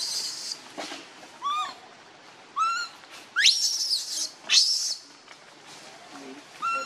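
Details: Baby monkey that has lost its mother, crying; clear rising harmonic coos alternate with harsh, high screeching bursts, a few seconds apart, over faint background hiss.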